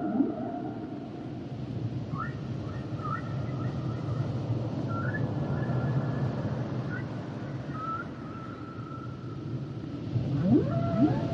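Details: Humpback whale song underwater: long steady tones near mid pitch with short rising whoops, then sharp upsweeping cries near the end over a constant low rumbling wash of ocean noise.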